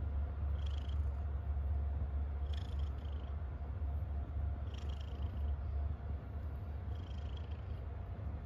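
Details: Contented domestic cat, described as happy, keeps up a deep continuous purr, a fast throbbing low rumble, broken by soft higher breathy bursts roughly every two seconds.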